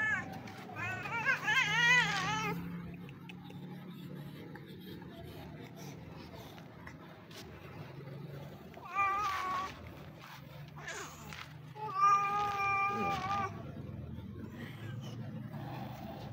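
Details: Street cat wanting to be pampered, meowing in a few separate bursts: a wavering harmonic call near the start, then two shorter meows later, over low traffic rumble and a person's voice calling it over.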